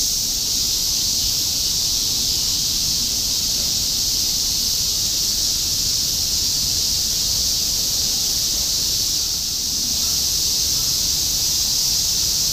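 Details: Summer cicada chorus, semi-shigure, recorded in Shinjuku, Tokyo in 2016; a constant bright buzzing wash from countless insects, with a brief slight dip in loudness near the end and soft low urban rumble underneath.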